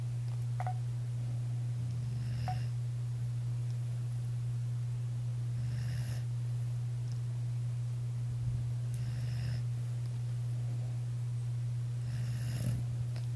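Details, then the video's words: Dog named Daisy asleep indoors, snoring in an ear through the night: soft breathy snores recurring about every three seconds over a steady low electrical hum. "No daisy you can't snore in my ear all night"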